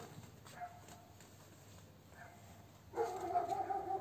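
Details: Lagotto Romagnolo puppies at ten days old: after near quiet, a sustained nasal whine rises in harmonic layers and wavers for about a second at the close.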